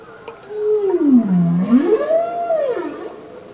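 A bowhead whale's song: one rich, tonal moan that dips low, then swoops up and falls again.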